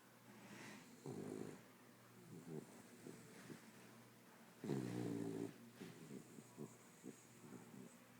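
A sleeping corgi snores in low, rattling bursts, with deeper, louder snorts now and then.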